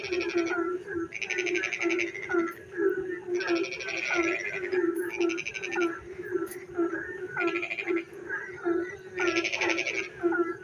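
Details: Frog chorus on a rainy night in darkness, with loud rasping pulsed trills bursting every couple of seconds over a constant low hum and many overlapping short croaks and chirps.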